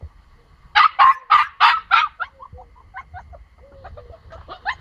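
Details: A female pomsky puppy, locked away and wanting to get out to her pomsky companion, gives a quick run of high, sharp barks, then softer yips and whines.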